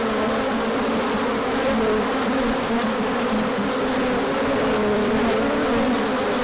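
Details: Bees pouring out for a big orientation flight in sunshine after cold days, March 2024; a thick, even hum of countless wingbeats, a low steady drone holding without pause.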